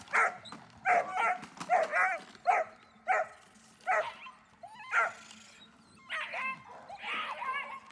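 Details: German Shepherd Dornan barking during protection training: harsh, uneven barks in quick succession. The barks soften into higher, whine-like tonal calls toward the end.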